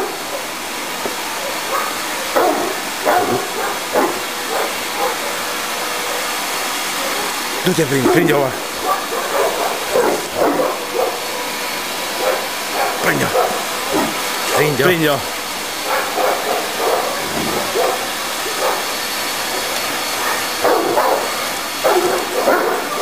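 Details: Kimu, a 60 kg Tosa inu aged 11 months, barks while playing with a running vacuum cleaner; deep, irregular barks and growly bursts scattered through the stretch, mixed with steady motor noise and a person speaking.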